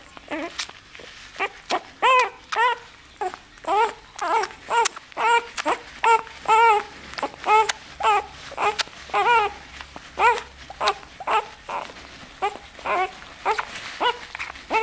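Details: Nine-day-old bull terrier puppy, named Firefighter Zippo, indoors in a small room: a run of short, high, wavering squeals and whimpers about once a second, each with a bent, slightly rising-falling tone, steady throughout with faint room hum.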